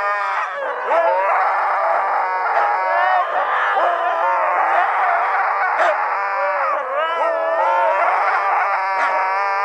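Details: Siberian Huskies howling together in a night chorus, several voices overlapping in long wavering tones that rise and bend, a steady wall of layered howls throughout.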